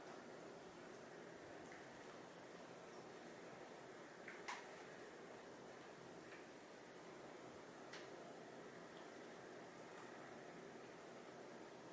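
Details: Steady indoor hum, like a fan or air conditioner, with a couple of faint knocks and no animal calls.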